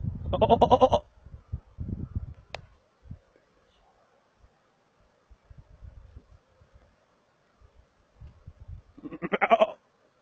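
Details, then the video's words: Markhor in Chitral Gol National Park, Pakistan, giving a loud, trembling, pulsed bleat, then near-quiet with faint soft grunts and clicks for about eight seconds, ending with another vibrating bleat. "Calling Markhor"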